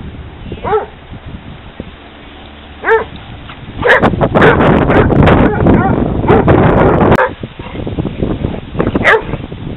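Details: Hounds playing at a dog park: a few separate sharp barks early on, then a dense stretch of overlapping barking and scuffling noise from about four to seven seconds, ending with another lone bark.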